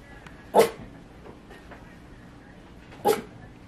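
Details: KwangBok, a male Rat Terrier, barks twice during a dog translator app session: two short, punchy barks roughly two and a half seconds apart over faint indoor hiss.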